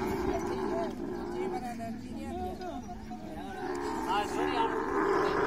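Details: Camel mating sounds: a continuous groaning bellow with wavering, sliding pitch that swells louder toward the end.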